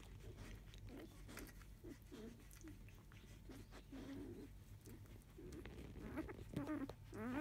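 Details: Field-line Labrador Retriever puppies, five days old, shortly after 3 pm, from a litter born to biscuit: soft, short squeaks and whimpers, irregular and overlapping, with a few rising, wavering whines near the end over a steady low hum.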